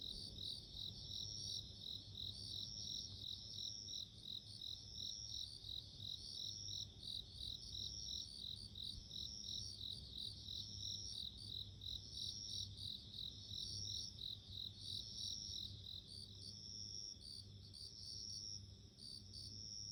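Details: Bell cricket chorus in nature: rapid, high, tinkling pulses run throughout, overlapped by longer drawn-out ringing trills every second or so. The sound softens slightly toward the end, with a faint low hum underneath.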